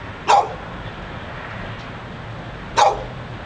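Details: Dog outside a Barnes and Noble in Pleasant Hill, California, refusing to be quiet: two sharp isolated barks about two and a half seconds apart against a low background hum.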